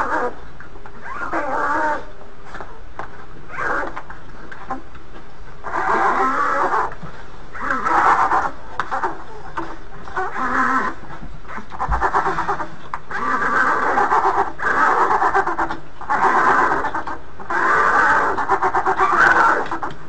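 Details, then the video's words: Polar bear mother Freedom with her twin cubs in the maternity den at Ouwehands Dierenpark Rhenen, week three; loud, rapid, harsh squalling bursts repeat almost continuously for twenty seconds, with low rumbling underneath. "IJsbeermoeder Freedom en haar ijsbeertweeling (Week 3)"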